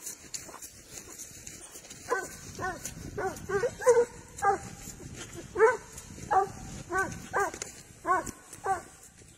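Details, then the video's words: Spanish hound on the trail of wild boar, giving tongue in a run of short, ringing, harmonic barks with slightly falling pitch, about one every half second in bursts, over faint outdoor background. "SABUESO ESPAÑOL, AL RASTREO DE JABALÍ"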